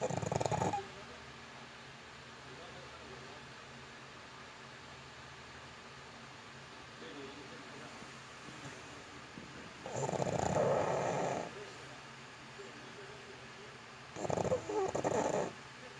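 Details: Yitong the pug, sleeping, gives raspy snores. A short one opens the clip, then a long quiet stretch with only room hum, then two harsh snoring breaths about four seconds apart.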